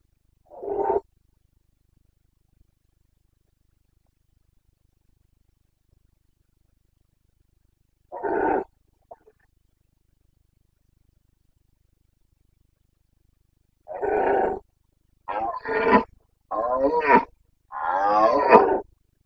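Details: Red deer stag of the Carpathians roaring in the breeding season in Bucovina, September 2022. Two single throaty roars stand far apart, followed by a quick burst of four rasping bellows close together.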